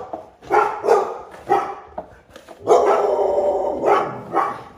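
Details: Black Labrador Retriever, a female, outdoors on a walk, barking at a figure called Bigfoot spying on her: a series of loud, rough barks, several short ones, then a longer drawn-out bark and two more.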